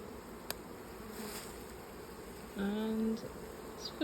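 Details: Honey bees of a late swarm that moved into an old hive, crammed full with brood at all stages, heard as the beekeepers open it: a steady, dense, low droning hum throughout, with a brief man's voice speaking partway through.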